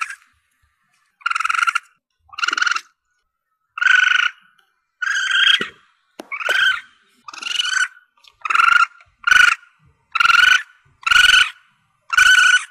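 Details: Young Asian palm civet calling, a recording meant to help hunters attract their target: twelve nasal, harmonic squeals, some slightly rising, coming faster toward the end, with faint thuds between them.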